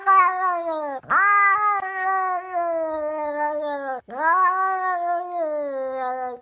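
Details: Pet cat producing sustained, wailing meows, each a long harmonic cry that starts high and sinks slowly, broken by brief catches into three strained phrases, from a funny compilation of cats that seem to talk.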